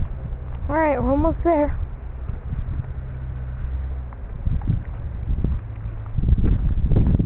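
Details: Kitten in Iowa, held while being carried back to its mother, gives two short meows close together, each bending up then down. Afterwards come rustling handling noise and a soft human voice.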